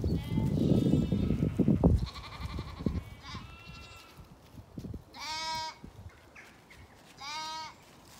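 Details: Sheep flock of ewes and lambs on a regenerative pasture farm in County Kilkenny, Ireland; after a burst of low rustling and handling noise, three separate wavering, strongly harmonic bleats sound, spaced about two seconds apart.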